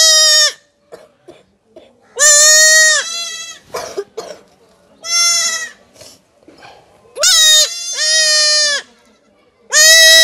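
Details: Young goat kid being castrated, crying in long, loud, strained bleats with rich harmonics, about five cries spaced roughly every two seconds, with faint handling sounds between.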